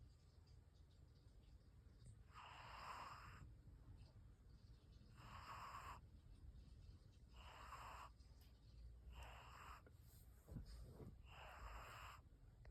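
A sleeping Bengal cat snores in soft, raspy breaths that repeat about every two and a half seconds.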